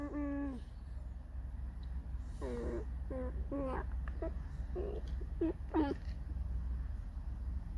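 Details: Fox named Alisa, annoyed and complaining, makes a series of short nasal squeaks and whines in a rapid, irregular run. The notes are rich and harmonic, some bending downward, indoors with a low steady hum.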